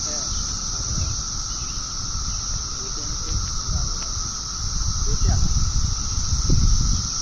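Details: A cicada in a pear tree gives a steady, high-pitched buzzing drone with a fainter lower hum beneath it.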